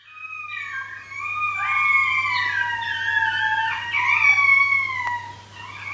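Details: Three 13-week-old Shetland sheepdog puppies howling indoors at night, one waking alone and then all three calling for their pack; overlapping high, sustained, wavering howls rise and fall in several layered voices throughout, over a low steady hum.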